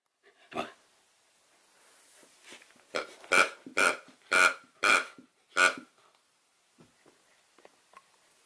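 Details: Nukka, a female Samoyed puppy, barks so her dropped favourite porcupine toy gets picked up: a quick run of six loud, harmonic barks about two per second, with a short yelp before and quiet rustles after.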